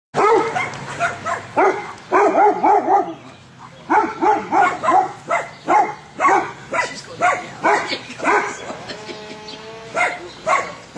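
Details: An Airedale puppy named Lilly meets three Weimaraners; rapid, harmonic barks and yips come in quick bursts, several per second, with short pauses between volleys and faint voices in the background.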